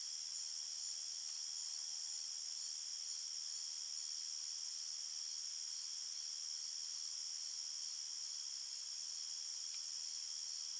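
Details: Night-time forest crickets keep up a continuous shrill chirping chorus, layered high trills holding steady throughout, the only sound present.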